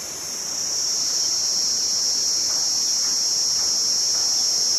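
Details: Cicada giving a steady, high, shrill buzz that holds at one pitch without a break. It swells in over the first second, then keeps an even loudness to the end.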